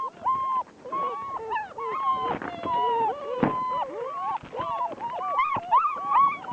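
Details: Three German Shepherd puppies aged six weeks, outside on slippery rain-wet ground, trying to get up; a busy run of high whines and yelps, bending up and down, overlapping constantly, with brief human speech.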